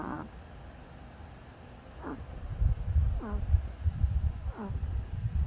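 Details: A dog snores in its sleep. Thin whistled nasal squeaks come at roughly one-second gaps, then deep rumbling, rasping breaths swell and fall from the middle of the recording onward.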